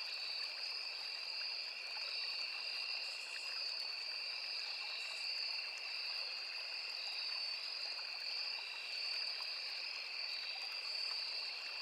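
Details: Steady high-pitched cricket chorus in woodland next to a small river, two sustained trilling bands running without a break, set against gently trickling water.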